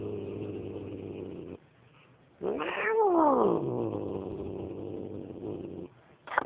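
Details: Grumpy domestic cat growling at a scary dog: a long low droning growl, a pause, then a loud wailing yowl that rises and falls in pitch before sinking back into a drawn-out growl, ending with a sharp hiss-like burst.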